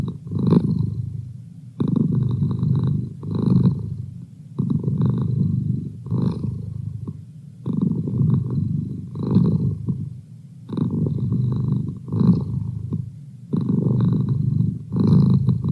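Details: Male house cat purring continuously, a low throbbing rumble broken into regular surges with short quiet gaps as he breathes in and out, repeating steadily throughout.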